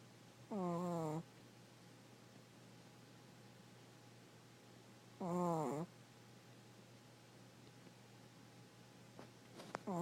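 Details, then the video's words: Five-year-old Chihuahua weighing 4.5 lb, asleep indoors, snoring loudly: two droning, buzzy-harmonic snores roughly five seconds apart, each under a second long, with faint clicks near the end. "Snoring Chihuahua"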